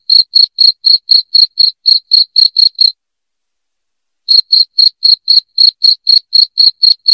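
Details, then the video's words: Noisy cricket sounds intended to drive off rats: a dozen rapid high chirps, a silent gap of about a second and a half, then another dozen in the same quick, regular beat. "SUARA JANGKRIK NYARING PENGUSIR TIKUS"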